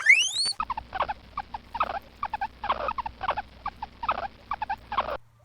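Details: Guinea pig, called preá, giving a steady series of short, low chuttering bursts about twice a second after a brief rising whistled sweep at the start.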